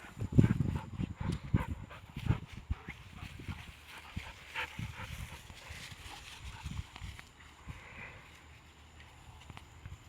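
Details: Two pet shepherd dogs, Kaiser, a year and a half old, and Belle, six months old, rough-housing and snarling like pigs; low, rough bursts crowd the first three seconds, then thin into quieter scuffling grunts and thumps.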